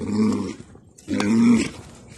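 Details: Wild yaks fighting in Tibet: two deep, rough growling grunts, each lasting about half a second and separated by a short pause, with a rich low buzzing tone.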